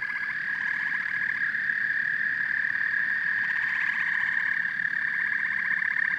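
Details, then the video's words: Frogs and toads calling together in a dense chorus. Rapid pulsed trills repeat in bursts over a steady high droning band, with a soft low rumble underneath throughout. "Frogs and Toads Symphony"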